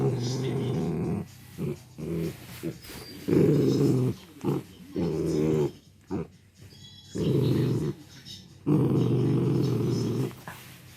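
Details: Male miniature dachshund, four years old, growling angrily when its owner tries to take the chew it is happily sucking; low rumbling growls in long bursts of one to two seconds, separated by short pauses.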